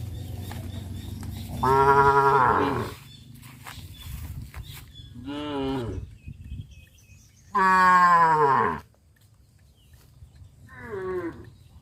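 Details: A herd of cows walking and jumping through a rice field on a traditional village farm; two loud, drawn-out harmonic moos of about a second each, followed by shorter, softer lowing calls, over a quiet outdoor background.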